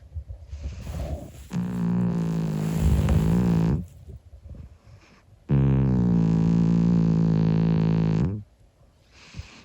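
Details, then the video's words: Monkey, a 25-year-old calico cat, snoring while asleep: two long, droning, buzzy snores of about two to three seconds each, separated by quiet pauses, with a steady low hum. "Old cat SNORING - UNCUT! | Monkey the 25 year old cat"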